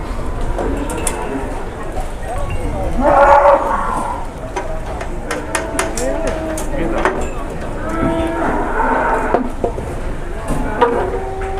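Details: Jumbo cattle at an Indonesian livestock market, brought by truck and rampaging slightly, give two drawn-out, harmonic moos, one near the three-second mark and a second around eight to nine seconds, over crowd chatter and clatter.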